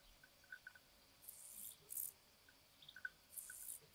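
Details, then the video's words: Carpathian dancing grasshopper, Chorthippus oschei, during rivalry and courtship at Val Cajupi, Albania, on 26 July 2023: three short, very high hissing stridulation bursts, each under a second, separated by quiet gaps, with faint soft ticks beneath. "Carpathian Dancing Grasshopper Chorthippus oschei, rivalry and courtship"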